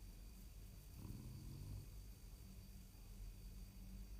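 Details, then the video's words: A French Bulldog in deep sleep in his bed, breathing deeply, snores with a low, rumbling, rhythmic rasp. "French Bulldog Snores"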